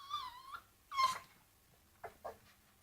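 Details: Pet dog fussing over a bone, heard quietly: a high, tonal whine sliding downward, then a second clipped whine-yelp, followed by two short soft huffs.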